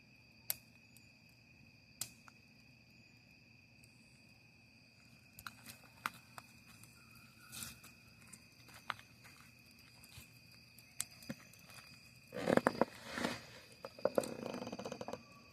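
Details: Camping scene with a crackling campfire: a continuous high-pitched cricket trill holds steady the whole time, punctuated by scattered wood pops and a louder burst of rustling and crackling near the end.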